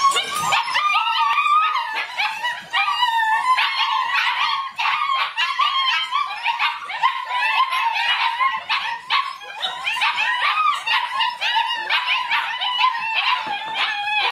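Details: A litter of eight German Shepherd puppies aged six weeks, whining and yipping together in a steady chorus of high, wavering cries and short squeaky yelps with almost no pause over fourteen seconds.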